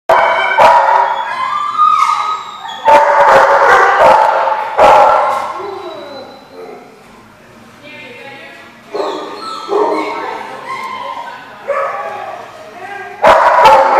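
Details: Dog barking in loud, broadband bursts: a rapid cluster near the start, another around three seconds, one at five seconds and a final burst at the end, with quieter harmonic yips and voice-like sounds in between.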